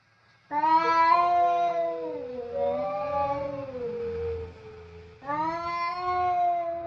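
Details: Two tomcats quarrelling loudly over food indoors in a kitchen: a long, wavering, nasal yowl bends down in pitch and weakens, then a second strident wail starts up sharply and continues.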